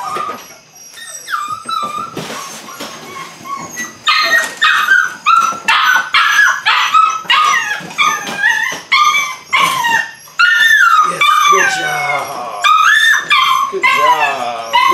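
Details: Belgian Malinois puppies, 8 weeks old, beginning bite work, yip and whine over and over in shrill, rising and falling bursts, loud and nearly continuous for fifteen seconds.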